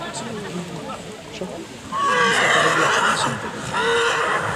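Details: Silesian stallion Ratan, pedigree Basior–Ratafia–Prymus, presented before an evaluation commission; a loud, harmonic-rich whinny starts about two seconds in and runs almost to the end, with human speech beneath it.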